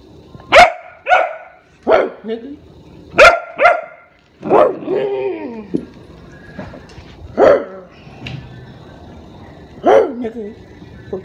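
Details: Barks from a pet Rottweiler directed at its owner, sharp and harmonic, coming in irregular bursts, some doubled and some drawn into longer whining barks, with human speech between them.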